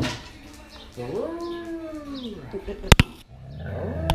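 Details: Siberian husky puppies, 16 days old, sleeping on their backs and already vocal: one drawn-out, arching whine of about 1.7 seconds with rich harmonics, then a few sharp clicks and a shorter second whine near the end.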